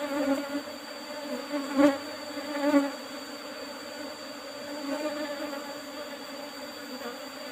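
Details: Apis cerana bees droning around an opened old hive box with a used asbestos cover at harvest time. The hum is steady, with a few louder swells and knocks in the first three seconds.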